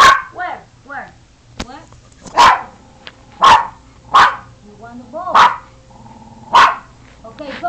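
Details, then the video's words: A dog "talks" in a phone recording: bent, wavering whines and little yips lead into five strong, evenly spaced barks about a second apart, with human speech around them. "My dog talking"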